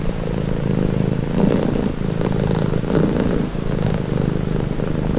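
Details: Cat purring in a low, buzzing rumble, presented for calm and relaxation. The purr pulses gently with the cat's breathing, a little louder around the middle seconds and never breaking off.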